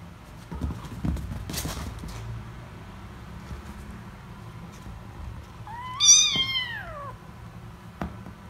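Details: Kitten gives a loud, drawn-out meow while wrestling with other kittens and losing; one strong falling cry with rich harmonics, preceded by thumps and scuffling, with a faint click afterward.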